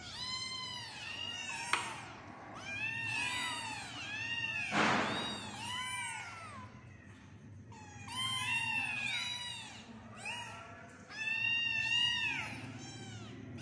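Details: Loud chorus of kittens crying in repeated bright, arching mews, densely stacked and overlapping, with a short rustling burst partway through and a couple of sharp ticks.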